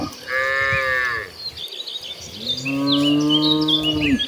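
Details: Cows (Bos taurus), part of a herd of dozens walking toward a green pasture, give two long, harmonic moos, the second deeper and steadier, with faint birdsong behind.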